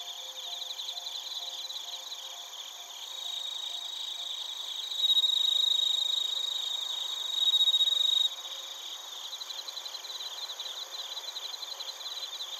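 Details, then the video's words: Chirping crickets recorded in Narita, Chiba, Japan with a TASCAM Portacapture X8; a high, fast-pulsed chorus swells when one loud, clear, sustained ringing trill rises for about three seconds near the middle, then the rhythmic chirping chorus continues. "スズムシとコオロギの鳴き声 - Chirping of crickets"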